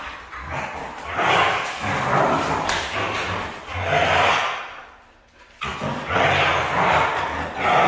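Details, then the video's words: Red-coated female Siberian Husky making repeated rough, talkative howling sounds in uneven bursts of one to two seconds, with a brief quiet gap before the calling resumes strongly. "Crazy 🤪 💯 Red Female Siberian husky"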